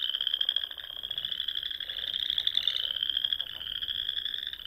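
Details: Many frogs singing at dusk on a spring night in the rolling Sandhills of Nebraska, their calls merging into an unbroken shrill trilling band, with only faint lower croaks beneath.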